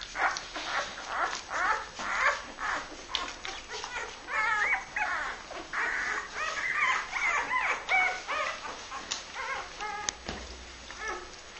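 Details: Labrador Retriever puppies of a litter born 23 February 2012, several pups calling at once: high, quavering whimpers and squeals, some rising then falling, packed closely and overlapping throughout with little pause.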